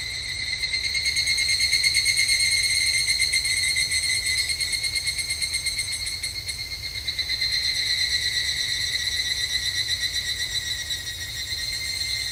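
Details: Evening cicada (higurashi) calling at a temple during a Japanese summer: a dense, continuous, high-pitched pulsing trill with bright layered tones. The volume swells gently and eases over twelve seconds, with no other clear sounds.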